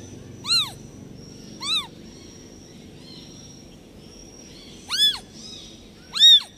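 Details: Abandoned newborn kitten left by the mother cat calls out in four piercing, arched meows, two early and two late with a pause between, over faint background hiss.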